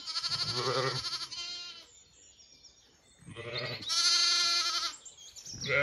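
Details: Young Zwartbles lambs roaming away from their feeding mothers on a farm in County Kilkenny, Ireland. Two loud, quavering bleats are split by a quiet gap, with a fainter higher call trailing in the middle.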